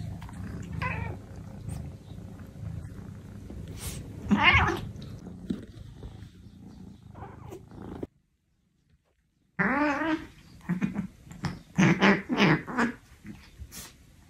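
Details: Norwegian Forest Cat gives several drawn-out, wavering meows over low purring and rustling, with a brief silent gap midway and a quick run of short calls near the end.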